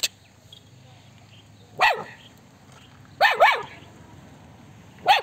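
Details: Small puppy that sent children running, giving short high yappy barks: one, then a quick double, then another, spread across five seconds over a quiet background.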